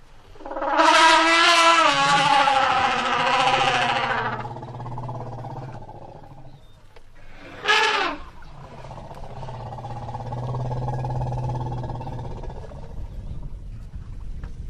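An elephant trumpets with a loud, brassy blast, followed by low rumbles and a short sharp snort.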